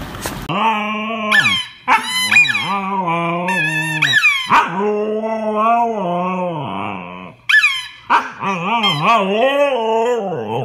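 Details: Siberian Husky howling: long, wavering, tonal vocalizations with rich harmonics, sustained for a second or two each and bending up and down in pitch, broken by short sharp rising yelps and brief silent pauses.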